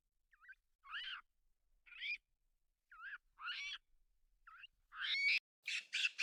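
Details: Baby monkey making funny noises: short, high squeaky calls in a stop-start series, each a brief rising and falling squeal. Quiet gaps separate them, and a denser burst of rougher squeals comes near the end.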